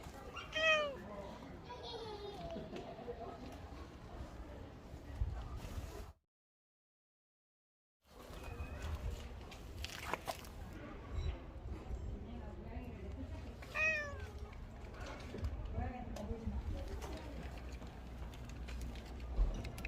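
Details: Korean shorthair street cat named Rolls, met on an autumn day among red and yellow leaves along the Gyeongchun Line Forest Trail in Gongneung-dong. Arched, harmonic meows near the start and again around fourteen seconds, over people talking, with a brief silent gap.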